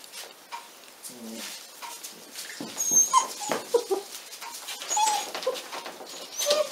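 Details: Forty-six-day-old Pyrenean Mountain Dog puppies from a litter bred in the Cerdanya, Catalan Pyrenees, making soft scattered whimpers and brief squeaky whines among shuffling noises, growing a little louder toward the end.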